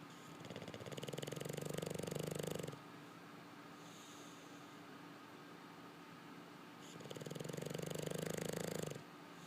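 An English Bulldog snores in deep, rattling drawn-out breaths, two heavy inhalations several seconds apart. Between them comes a soft, hissing exhale in a quiet room.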